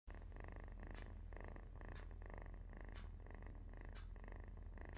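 A sleeping kitten gives a continuous, low, purr-like rumble with a fine rapid flutter. Soft breathy rasps rise out of it roughly once a second, keeping an even rhythm throughout.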